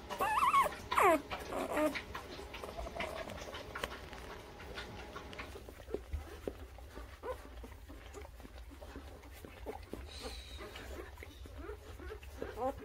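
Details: Newborn puppies in their first weeks of life, between birth and three weeks old, give a few loud, high, wavering whimpers and squeals in the opening two seconds, followed by faint scattered squeaks and soft rustling indoors.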